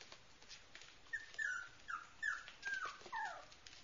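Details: Cute puppy whimpering in a series of five or six thin, high squeals, each sliding down in pitch, spaced about half a second apart in a quiet indoor setting.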